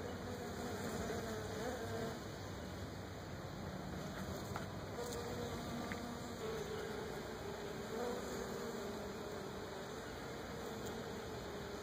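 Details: Several wild bees, thought to be Africanized or hybrid honey bees, pollinating Brazilian pepper tree blossoms in Florida; a continuous dense buzzing drone with shifting tones from many wings, rising briefly as single bees approach.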